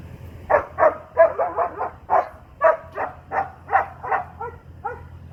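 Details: A young Doberman dog barks steadily in a rapid series of about fourteen loud, harsh barks over five seconds. The barks are roughly evenly spaced, with a low background hum.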